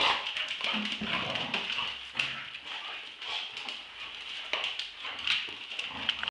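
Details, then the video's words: Staffordshire Bull Terriers Roxy, two years old, and Ralph, eight months, play-fighting over a tug-of-war toy: steady low throaty growling runs throughout, broken by harsher snarling bursts and scuffles. "dog fight tug of war round 2"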